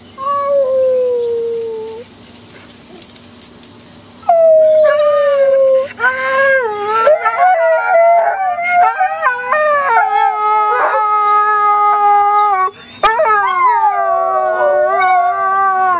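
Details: Two pet dogs howling together, an old whippet-labrador mix with possible beagle or hound and his younger companion, the younger one higher-pitched. A long, falling solo howl comes first, then after a pause the two join in with overlapping, wavering, sustained howls.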